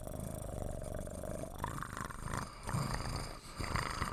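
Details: Puppy growling, a low, rough, pulsing rumble that holds steadily, then grows louder and more broken in the second half, with a faint steady hum behind it.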